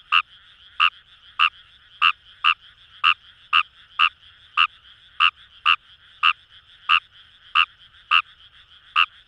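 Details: Kawamura's rice frog, recorded in paddy fields by the Kamo River in Itoshima, Japan, repeats a punchy, nasal croak about every half second, sixteen calls in a steady run above a constant background frog chorus.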